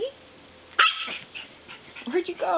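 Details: Purebred miniature schnauzer puppy about nine weeks old, recorded 11/14/09, gives a sudden sharp bark, then a couple of short high yips near the end, with a person speaking quietly between them indoors.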